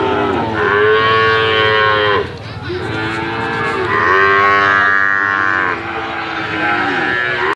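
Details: Medium-sized slaughter-ready Bali cattle at a livestock market moo in long sustained calls with curving endings. One brief pause near two seconds breaks the chorus, which then resumes.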